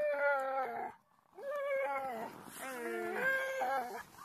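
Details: Siberian Huskies howling together at a husky farm in Rovaniemi, the capital of Finnish Lapland. Several overlapping voices give wavering, harmonic howls that dip and slide. There is one short pause after the first second.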